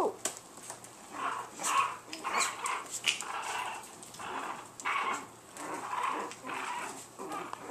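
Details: Chihuahua puppies, filmed March 23: repeated high whiny whimpers and small yelps arrive in bursts about every second, some drawn out, over a faint constant hum.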